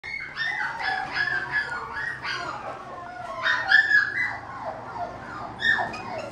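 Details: Young male mixed-breed dog, baby-faced with a fluffy, thick coat turning silver as he grows, gives a run of high, tonal whimpers and short whines, some rising then sliding down, in bursts through the clip.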